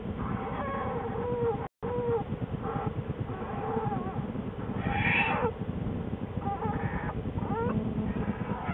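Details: Female American black bear in her winter den in January, shortly before giving birth to two cubs, picked up by a den camera: short whining, bending calls scattered through the clip over steady low rumbling and rustling from moving bedding.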